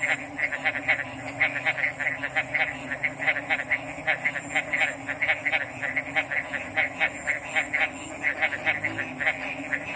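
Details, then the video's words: A frog chorus: many brief croaking pulses stack up in quick, uneven succession, roughly twice a second, backed by a continuous thin high whine and a faint droning hum. "RELAXING ORIGINAL FROG'S SOUNDS"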